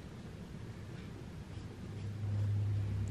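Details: A low engine drone rumbles steadily, growing louder, with no animal voices. Only the deep hum of a motor fills the air.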